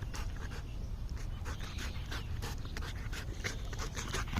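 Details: Golden Retriever breathing hard in rapid, even pants, soft airy bursts following one another closely, against a steady low hum in the background.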